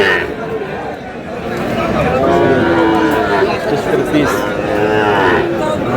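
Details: Sahiwal bull calves at a cattle market, bought by a farmer from Munshiganj, Bangladesh. Low, drawn-out moos rise and fade beneath steady crowd chatter and bargaining voices.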